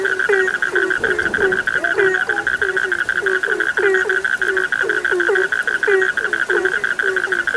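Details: Chorus of frogs meant to lull listeners to sleep, with overlapping low croaks, each ending in a quick upward flick, tumbling several times a second beneath a constant shrill, buzzing drone.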